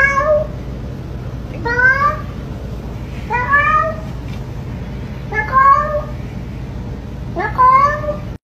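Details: Domestic cat meowing in a talking-cat compilation: five short rising, harmonic-rich meows spaced about every two seconds over a low steady hum, with no music.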